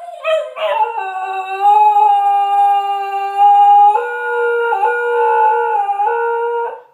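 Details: Kyreaux, a bark-less dog, holds one very long howl: a steady, clear tone that jumps to a higher pitch about halfway through, wavers briefly, then holds until it fades out after nearly seven seconds, with no other sounds.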